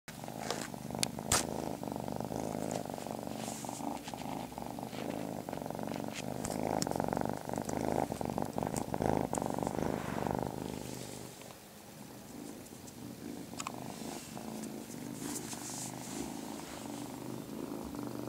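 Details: Marmalade, a small male kitten, purring steadily and loudly indoors in a house with a bathroom he loves; low, even rumbling throughout with brief clicks and rustles, the purr softening after about ten seconds.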